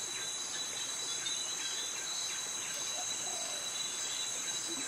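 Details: Tropical forest insects in Krabi, Thailand, where cicadas sing their mating call alongside crickets. A sharp, unbroken high-pitched ringing dominates, overlaid with faint scattered chirps.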